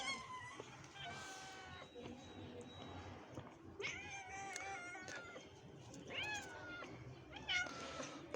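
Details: Sick kitten with closed eyes, being taken from its mother for treatment while the angry mother cat looks on; a series of clear, high, wavering meows, about five drawn-out cries in eight seconds, over soft background music.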